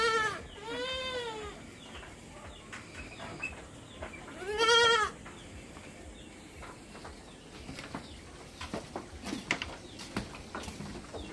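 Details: Backyard farm goats in the Philippines calling in the morning before being let out: two wavering bleats at the start and one loud harsh bleat near five seconds, followed by quieter clatter and scattered knocks.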